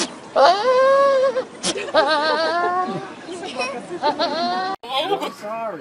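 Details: Goats in a French compilation of funny goat cries: drawn-out, wavering, strongly tonal bleats, one lasting about a second, then shorter cries, mixed with people talking nearby.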